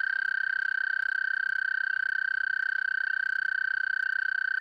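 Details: Toad calling at close range during mating season at a pond near a home, at night: one long, steady, high trill held without a break, with faint bright overtones above and occasional soft clicks.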